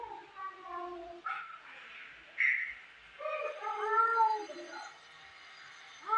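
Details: Two domestic cats in a fight at home: moaning yowls that bend up and down in pitch, with a sudden harsher burst midway, over a steady background hiss.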